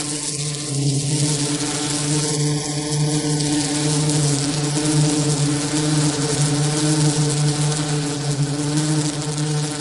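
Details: Steady droning hum of a bee, deep and continuous with layered overtones, plus a few faint higher tonal streaks early on against the buzz.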